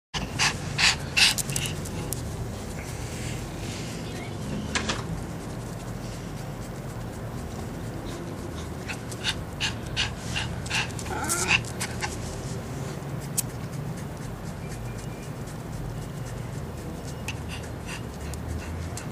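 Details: Chihuahua panting: rapid, rough breaths in uneven bursts, strongest and loudest in the first seconds, then a steady low hiss of breathing with scattered sharper puffs throughout.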